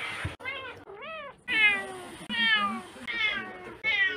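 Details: House cat letting out quick, repeated meows, roughly one every second, each a bright arched cry that starts high and slides downward.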